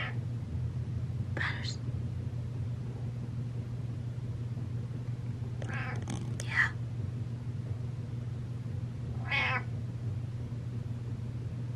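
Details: Pet cat Butters approaching and meowing indoors: three separate meows spread over twelve seconds, the middle one broken and clipped, the last a long wavering cry, set against a constant low electrical hum.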